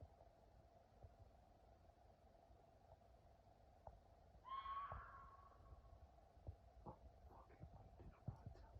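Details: At night, an animal the owner thinks is a fox gives one short, harsh, slightly rising call over a steady low hum.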